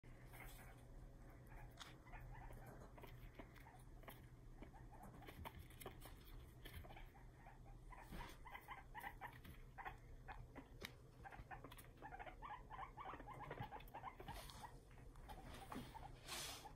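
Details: A male guinea pig chatters its teeth in sharp, dry, irregular clicking bursts, an angry, aggressive sound aimed at another male it isn't housed with, over a steady low mechanical hum.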